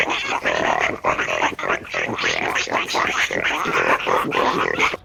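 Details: Pigs and piglets grunting: a dense, continuous stream of short, overlapping nasal grunts and squeaky snorts from several animals, rising and falling in quick bursts with barely a pause across the whole stretch.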